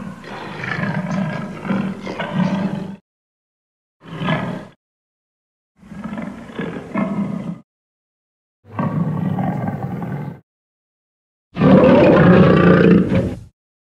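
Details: Lion roaring in five bursts over fourteen seconds, deep rumbling growls with a throaty pulsing texture, the last roar the loudest and longest, short silences between them.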